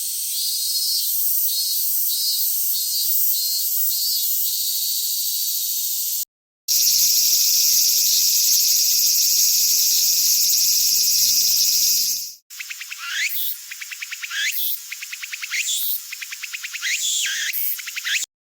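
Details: Cicadas in summer, three spliced stretches: a buzzy high pulse repeated about three times a second, then a steady shrill hiss, then rising-and-falling pulsed phrases, each a second or so apart, with no other sounds.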